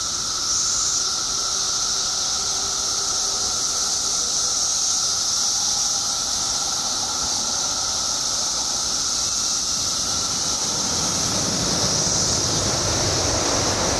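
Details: Billions of periodical cicadas emerged in Illinois after 17 years underground, droning in a constant high hiss with a steady lower whine; a broad rushing noise swells in near the end.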